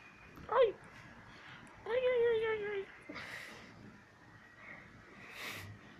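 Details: One-year-old female pet cat vocalising while asking to be petted and to play: a short sharp squeak followed by a longer, harmonic, slightly falling meow, then softer breathy sounds.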